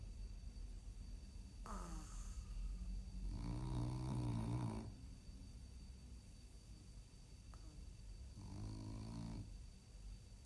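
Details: A French Bulldog snoring during a nap: deep, rumbling, rattling snores drawn out for over a second each, two main snores about five seconds apart over a low background hum.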